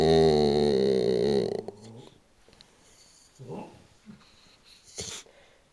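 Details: Talkative bulldog-boxer mix gives a loud, steady harmonic groan lasting about a second and a half, then falls quiet apart from a few soft huffs and brief low grunts.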